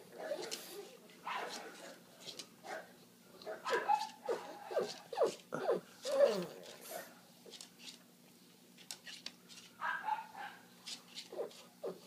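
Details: Macadamia, a male pug indoors in a small room, whines while struggling to get good footing to sit; short, thin, sliding whimpers rise and fall between bursts of a person's talking and soft shuffling.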